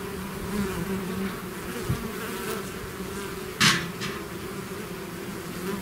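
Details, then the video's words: Bees swarming outside their hive make a continuous low drone with a layered overtone. Brief sharp knocks and one loud crackling burst interrupt the steady hum midway. "bees therapy swarm natural buzzing sound"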